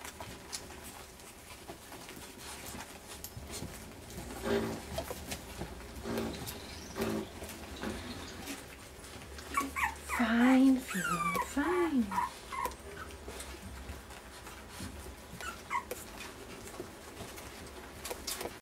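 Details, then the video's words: Dinner time for puppies on day 23: amid steady indoor rustling and pattering, a few thin, bending whines rise and fall about two-thirds of the way through, brief and spaced apart. "Puppies Dinner Time"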